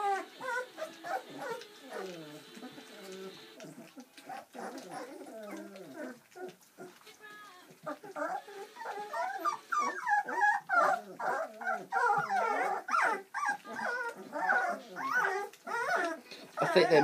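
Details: Squeals and whimpers come from a litter of seven Bernese Mountain Dog puppies, born Valentine's Day 2013, at their first ever feed on Mothering Sunday; a human voice talks early on, then dense overlapping high squeaks grow busier and louder.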